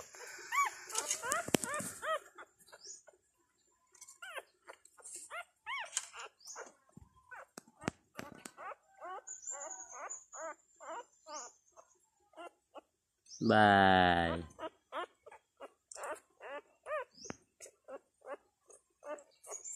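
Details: Two-day-old Thai dog puppies from a litter of five, with their mother; soft, rapid squeaks and thin whimpers in irregular bursts, a louder whine at the start, and a brief loud rustling thump partway through.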